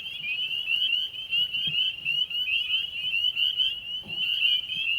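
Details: A deafening chorus of shrill, rising, overlapping spring peeper calls in Naugatuck State Forest, Connecticut, on a rainy March 24 night of 45–50°F, when amphibians were breeding at vernal pools.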